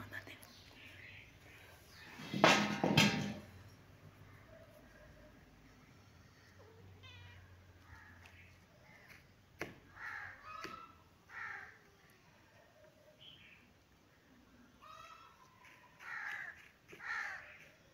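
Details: Kitten sunbathing in its favourite place and cleaning itself, giving several short, tonal meows with rising and falling pitch in the second half, after a loud rustling burst near the start; a human voice is heard softly in the background.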